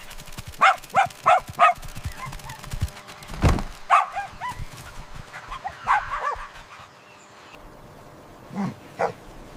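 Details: Playful puppies romping and play-fighting on green grass give quick high yips in a run of four, a dull thump, then scattered squeaky barks and whiny yelps trailing off.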